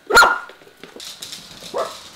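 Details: Mini dachshund, 5-6 years old, barking while waiting for breakfast, with a second dachshund present; one sharp, loud bark, then quieter rustling and a softer yip near the end.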